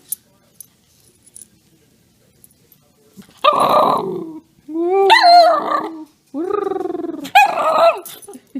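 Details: Pet dog begging while being taught to 'speak', whining, barking and growling: after about three seconds of quiet, a gruff bark, a long steady whining howl, a pulsing rising roo-roo moan, then a final sharp bark.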